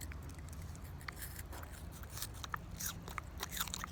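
A pig crunching and chewing an apple, with sharp, wet bites over a low indoor hum.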